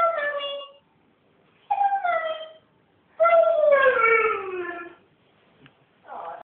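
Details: Siberian Husky 'talking' as if saying hello: three separate howl-like utterances, short, short, then a longer one sliding gradually downward, each sharply harmonic and spaced about one to two seconds apart, with a brief fourth sound at the end.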